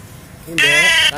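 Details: Goat being hand-fed, giving one loud, steady, nasal bleat of about half a second. A person's soft coaxing Indonesian speech comes just before it.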